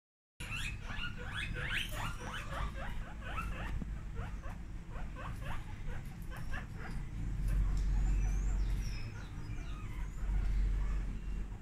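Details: Several guinea pigs screaming very loudly, a rapid run of short rising squeaks in dense overlapping bursts during the first half, then fading into scattered calls over a steady low rumble.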